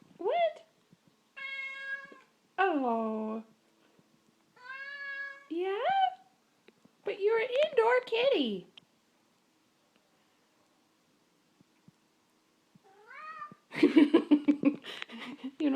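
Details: Indoor kitty wanting out, giving a series of varied meows, some rising and some falling, spaced through the recording, with a person talking to it and a burst of rustling noise near the end.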